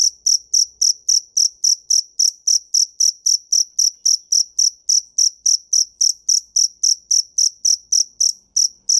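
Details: Continuous cricket chirping: crisp, very high pulses repeating about every quarter second with steady loudness throughout, no other animals or noise.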